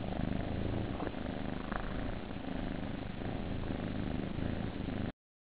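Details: Kittens in a nursery, purring: a low, rough, continuous rumble of rapid pulses that carries steadily throughout, close and loud.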